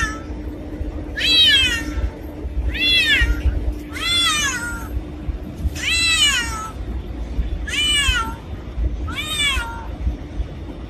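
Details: A black cat gives a run of six clear meows, each an arched, rising-then-falling cry with bright harmonics, coming about every one and a half seconds against a faint constant hum.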